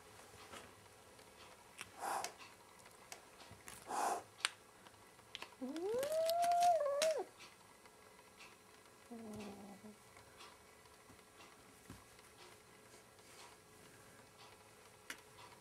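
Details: A cat squaring off against its reflection in a mirror lets out one sustained yowl that rises sharply, holds level and wavers before cutting off. Scattered thumps, clicks and a soft low grumble fill the rest of the indoor scene.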